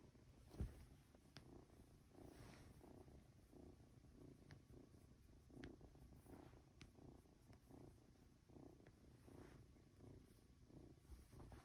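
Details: Two-month-old Norwegian Forest Cat kitten purring while being stroked and dozing off indoors: a soft, low continuous rumble that swells with each breath about once a second, with occasional faint clicks of handling.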